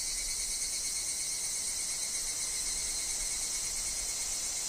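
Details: Forest chorus of higurashi, the evening cicada, among wind and falling leaves. Bright, unbroken high buzzing from many insects, with a faint steady tone beneath and no pauses.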